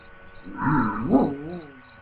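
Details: Dog howling playfully like a little wolf: a short, wavering tonal cry that rises, peaks and then falls away in a bending glide, with a soft rumble beneath it.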